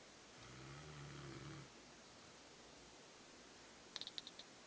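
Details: A Rottweiler snores loudly, with one low, rumbling, drawn-out breath followed by a few faint clicks.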